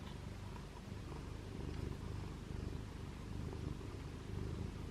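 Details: A tiny ginger British Longhair kitten, filmed in his first days, purring like a mini motor: a quiet, continuous low rumble under a soft hiss of room noise.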